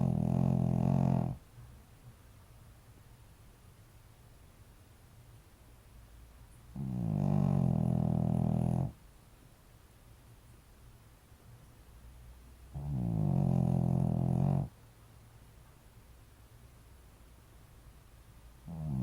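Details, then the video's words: Shih Tzu dog named Sebin, kept as a pet, snoring: long, deep, rasping snores about every six seconds, each lasting nearly two seconds, with quiet breathing between them. "언제까지 코고나 보자^^"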